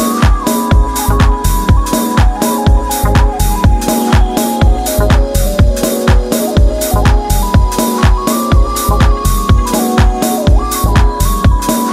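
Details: Loud electronic dance music with a steady driving beat and a repeating synth melody plays throughout, with no animal sound.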